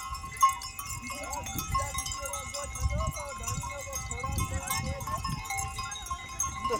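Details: Desert goat herd on the move near a village, with overlapping wavering bleats from several animals over a low rumble of hooves and movement, plus a faint steady tone throughout.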